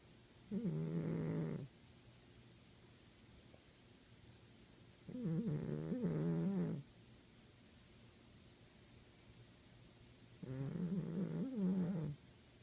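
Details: Savannah cat snoring indoors: three loud, rasping harmonic snores about five seconds apart, each over a second long, wavering low tones over steady hum.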